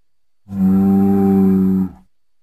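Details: Single long bull bellow, domesticated Bos taurus, a steady deep droning moo lasting about one and a half seconds with rich harmonics, then a quick fade; no other sounds.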